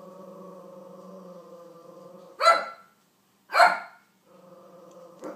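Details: King Charles Spaniel barking at Olly Murs, two loud, clipped barks about a second apart, with a continuous, steady tonal voice running before and after them.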